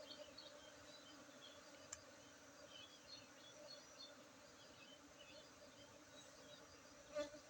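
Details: A low, even drone from many honey bees during honey harvesting at an apiary in Tingkem village, Bener Meriah, Aceh, on 19 August 2023, with faint higher chirps and a couple of soft taps in the background.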